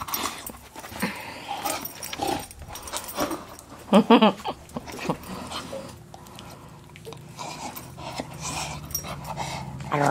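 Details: Young Staffordshire Bull Terrier, undecided whether to play ball, gives a quick pair of sharp, ringing yelps, loud against quieter panting, shuffling and human voices.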